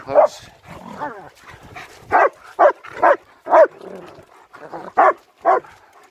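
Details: German Shepherds Nico and Zeeva on a winter wander near Hawick, Scotland, recorded on a Samsung S23 Ultra: about ten sharp, loud barks over six seconds in an uneven rhythm, some in quick pairs, with softer yelps between and faint human talk.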